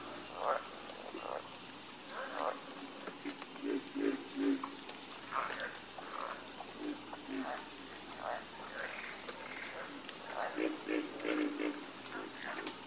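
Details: Frog chorus at night: scattered short croaks and low pulsed calls from several frogs, over a steady high insect hum of crickets.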